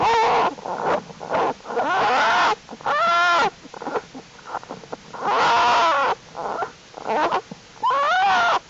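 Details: American black bear cubs of the mother bear Jewel in their winter den, active during unusually warm January temperatures as the strengthening cubs crawl around; loud, harmonic, wavering cries come in bursts of about a second, some arching up and down, separated by brief quiet gaps.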